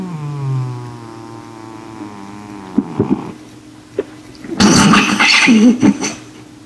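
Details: N2, a male pet cat, asleep and snoring as loud as he can on the couch at night; a long droning, harmonic-rich snore slowly falls in pitch, then short clicks and a loud rasping, noisy breath burst near the end.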